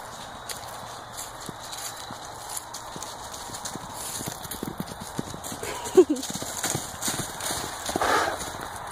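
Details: An Arabian horse and a miniature horse prancing together while showing off, with irregular thudding hoofbeats, a sharp knock midway, and a woman calling out to them.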